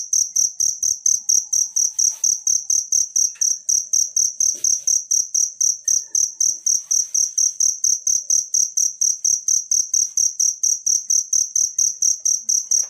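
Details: Cricket calling in the wild, used to tutor songbirds: a long, unbroken run of shrill chirps, roughly two per second and very even, over a faint low pulsing beat.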